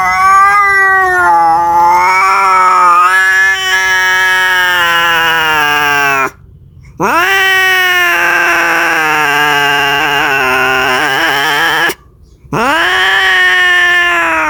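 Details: Domestic cat calling for a mate: loud, drawn-out wailing yowls lasting several seconds each, wavering in pitch, separated by two short silences, the last yowl sliding upward then holding.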